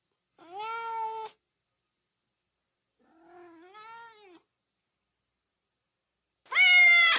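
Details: Cat meows used as sounds to excite dogs: two medium meows, the second softer and rising then falling, then after a pause a loud, piercing, bright meow; otherwise quiet.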